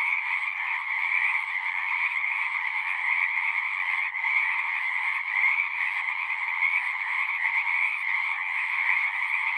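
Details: Frogs calling en masse, a constant shimmering trill chorus with a brief dip near the middle, otherwise steady from start to finish.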